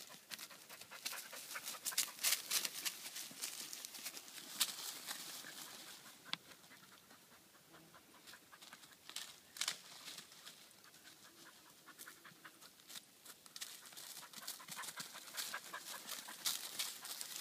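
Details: Tired Irish Red and White Setter named Samba panting after searching: quick airy breaths about three per second, loud then softer mid-clip, with rustling and a person calling the dog's name in Italian.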